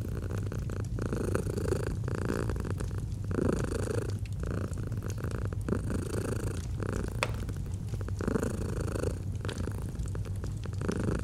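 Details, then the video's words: A domestic cat purrs in a continuous low drone, each breath cycle lasting around two seconds, accompanied by frequent crackling and popping from a fireplace in autumn ambience. "Fall asleep to the Purring of a Cat & Fireplace"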